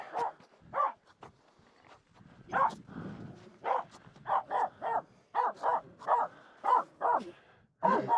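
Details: A Finnish Spitz female barks nonstop at two reindeer walking close while she crosses a snow pack on a mountain climb; sharp mid-pitched barks come singly and in quick pairs and triplets, roughly every half second, with a brief breathy pause.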